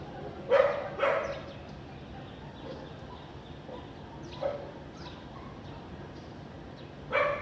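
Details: House dog in Vientiane, Laos, barking on a sunny April 2021 afternoon with little clouds; two strong barks, a few faint distant ones, then a final loud bark after a quiet stretch.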